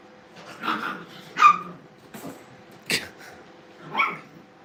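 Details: Brittany puppies during playtime at a dog training kennel, letting out a series of short, sharp yips and small barks spaced about a second apart.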